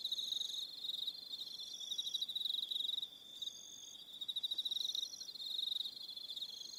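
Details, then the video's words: Crickets on Aroha Island, New Zealand, chirp through the evening in rapid high pulsed trills that pause briefly midway, with softer higher-pitched chirping behind. "1 Hour Relaxing Evening Sound of Crickets"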